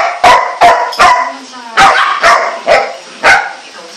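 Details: A tied Golden Retriever puppy of four months gives rapid, high, sharp barks, seven in quick succession with uneven spacing.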